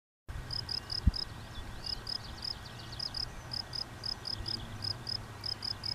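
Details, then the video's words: A field cricket at de Stulp sings steady, high chirps in short bursts of three or four pulses, over a low rumble. "Veldkrekel op de Stulp"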